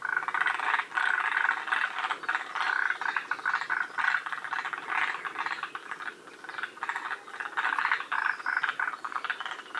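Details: Forest green tree frogs calling at Shiriya, Aomori, a northern-limit population in Japan. A loud, steady chorus of grating, rattling croaks rolls on with overlapping callers and only slight dips in intensity.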